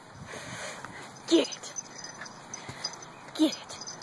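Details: Dog named Traveler barking during play with a puppy having zoomies and leg biting; two short, loud barks about two seconds apart, with people talking in the background.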